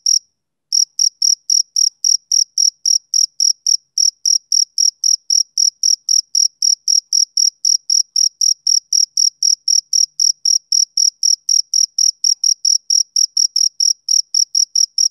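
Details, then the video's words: Summer-evening chirps from a male cricket: one lone chirp, a brief pause, then an unbroken run of sharp, high pulses at about four per second, steady in pitch and volume. "Cricket Chirping Sound Effect"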